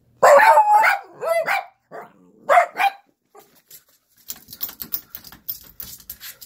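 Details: Italian Greyhound; whine-bark; asking to be let outside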